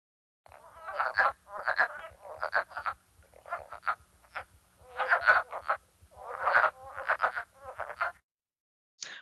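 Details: Wood frogs (Lithobates sylvaticus), an early-season spring caller in Minnesota, give a chorus of short, hoarse, clucking croaks that sound like ducks feeding and arguing.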